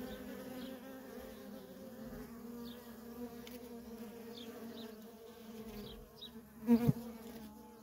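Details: Worker honey bees at a feral colony in constant traffic, a soft steady two-toned hum, then near the end a single bee zooms close by in a loud, sharp buzzing burst.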